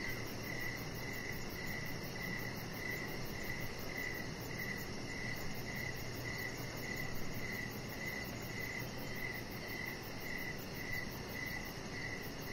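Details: Evening cricket chorus near a deck: rapid bright chirps pulsing at a regular pace, roughly two per second, above a constant low rumbling hiss.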